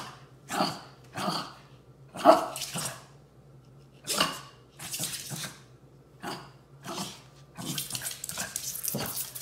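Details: Shih Tzus of the Furry Duo playing indoors around a new orthopedic bed: a string of short rough barks and growly huffs, roughly one every second, some merging into longer scuffling noise.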